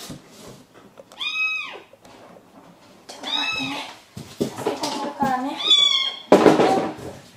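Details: Kitten Mugi, a timid male found shut inside the wall of a neighbouring vacant house, gives loud arched meows, one, then another, then a wavering cry, amid knocking, scraping and a brief voice in an indoor space.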